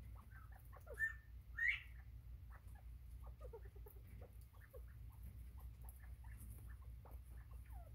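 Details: Bobwhite quail on 24 September 2023: a brief whistled note followed by a sharper upward-sweeping whistle, then scattered soft chirps and clicks against constant low-frequency hum.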